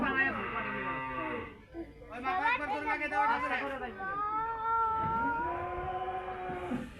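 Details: Cattle on the day the cow was sold: drawn-out, harmonic moos, one swelling and wavering, another long and level, with people talking nearby.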